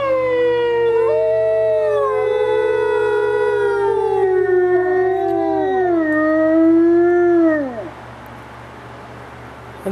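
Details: Gray wolf howling at the International Wolf Center in late March, likely set off by another wolf; one long, steady, harmonic-rich howl holding level, then sliding slightly lower and ending with a falling drop near eight seconds, followed by quiet with steady low hum.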